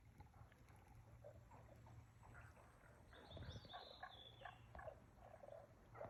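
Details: Frogs calling at Aoba no Mori green space, recorded 4/5/2024: rapid knocking croaks repeat throughout, swelling midway, with a thin high bird whistle near three seconds over a steady low hum.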